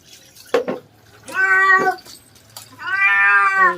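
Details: Domestic cat meowing loudly while being bathed: two long, strained, harmonic-rich wails, each about a second, with splashing and clattering sounds between them.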